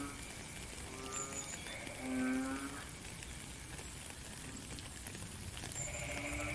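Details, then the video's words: A frog calls in the rain, with one loud, buzzy harmonic croak standing out among fainter answering calls, set against a continuous high-pitched drone and steady rainfall. "Frog and Rain"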